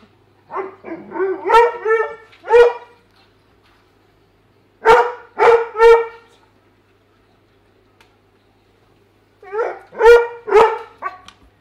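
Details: A Weimaraner trying to get at the fish in a tank gives clusters of short, high, whining yips with a few sharper barks.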